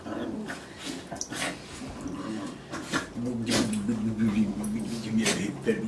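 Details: Border Terrier named Harry during a cuddle at the end of a long work week, indoors; a low, steady, humming whine holds for about two seconds, with a person talking in between.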